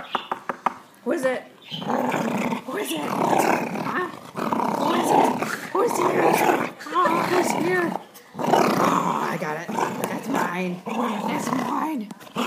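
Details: Female Boxer crossed with American Bulldog playing tug over her toy with people, acting fierce; long, rasping growl bouts lasting a couple of seconds each, broken by brief pauses, with human voices talking and laughing over them.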